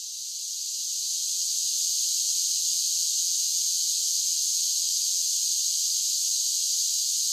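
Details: Cicadas singing in summer: a dense, continuous high-pitched buzzing drone. It fades in during the first second, then holds steady and loud with no pauses and no other sounds.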